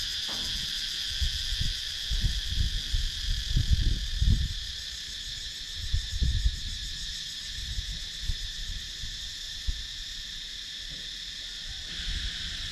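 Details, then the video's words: Cicadas buzz steadily in high layered tones in the wooded countryside of Sakon Nakhon, Thailand, recorded with a GoPro Hero 9 camera, over repeated low bumps and rumbling, probably wind or camera handling. "Cicadas Sound"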